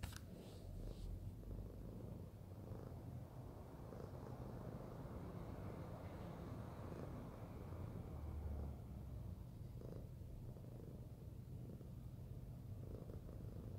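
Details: Fluffy pet cat named Arya purring while being cuddled; steady low rumbling purr throughout, with faint rustling handling noises.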